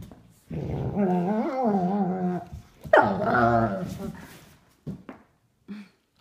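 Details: Indoor play between two sable German Shepherds, adult Duke aged three and nine-week-old puppy Havok, romping without a toy; a long warbling, whiny growl bends up and down, breaks off, then resumes before soft thumps and brief grunts.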